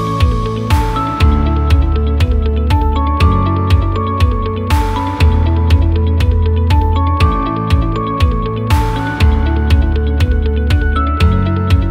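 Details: Electronic music with a steady thumping beat and sustained guitar-like tones throughout, with no animal voice.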